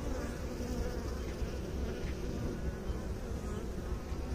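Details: Honey bees humming together in a steady, dense low drone, the buzz rough and grainy with slight wavering in loudness and no other clear sounds.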